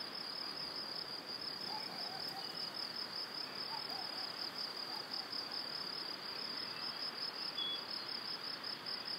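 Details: Spring evening crickets by a cereal field and forest in Wylatkowo, Powidz Landscape Park: steady shrill pulsating trill carrying on throughout, with faint distant bird chirps and a soft hiss of ambient noise.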